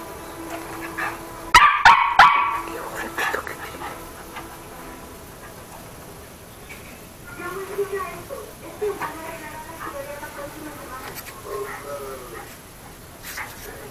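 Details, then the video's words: Toy poodle named Chucky barking while playing: a cluster of sharp, loud barks early on, followed by quieter wavering whines and voices, with background noise throughout. "el perro chucky tel ladrando y jugando"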